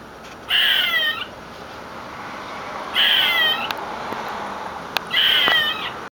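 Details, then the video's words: A squirrel screaming: three strained, piercing shrieks with a slight downward bend, arriving about every two to two and a half seconds, with a couple of faint clicks between them and constant low hiss. "Squirrel making funny noises"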